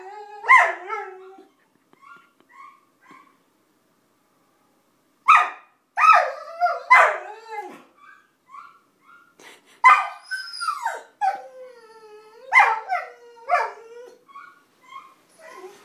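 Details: Basenji mix dog singing: bursts of warbling, yodel-like yelps with wavering, bending pitch and rich overtones, separated by short quiet gaps, with small soft yips in between.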